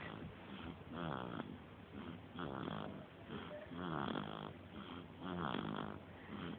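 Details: Three-week-old puppy asleep indoors, snoring steadily: rough, buzzy breaths in regular bursts about every second and a half, each swelling and fading, with a quiet room behind.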